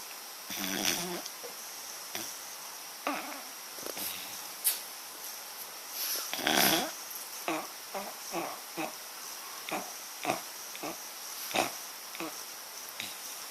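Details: Sleeping dog called papa bear snoring loudly indoors in a small room: wheezy, breathy snorts and snuffles repeating roughly every half second to second, with a few louder rasping breaths mixed in.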